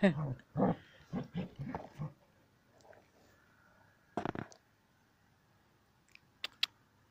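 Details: Sam, a Border Collie, playing with a ball: a run of low, rough grumbling pulses, about six in two seconds, then quiet with a few sharp knocks and clicks later.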